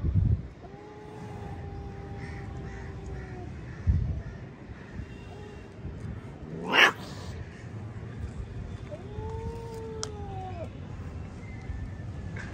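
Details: Fighting cat: long, drawn-out, steady tonal yowls, each lasting two to three seconds with a falling end, separated by a sudden loud broadband shriek and a few thumps.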